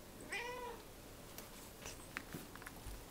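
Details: A single cat meow, brief and slightly rising then falling, followed by scattered soft clicks and taps against a quiet background hiss.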